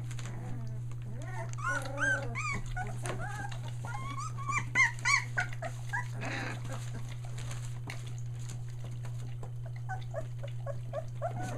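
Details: Australian Shepherd puppies one day short of three weeks old, a litter including three merle pups, near Mooresville, North Carolina, finding their voice: rapid high whimpers and squeaky yelps from several pups, overlapping and rising and falling in pitch, over a steady low electrical hum.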